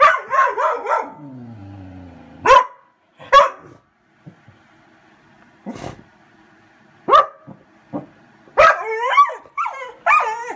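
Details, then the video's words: Chica the Vizsla, waiting for her owner, gives a series of sharp barks spaced irregularly with quiet gaps, mixed with high wavering whines and a short descending moan near the start. "Vizsla waiting for Mommy"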